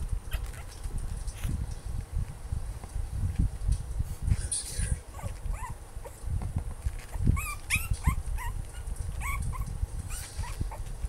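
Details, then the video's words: Sookie, an 8-week-old Maltipoo puppy, barks in frustration at treats she cannot reach: short, high, upward-bent yips and whimpers come in scattered bursts, mostly in the second half, over dull thumps and handling noise. "Scary Dog Barking"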